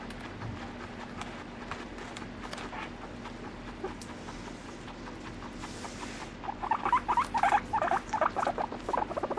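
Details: Pet guinea pig in an indoor setting. After a quiet stretch of soft patter and rustling, a run of loud squeaky chirping calls comes in rapid succession, several per second, over a steady low hum.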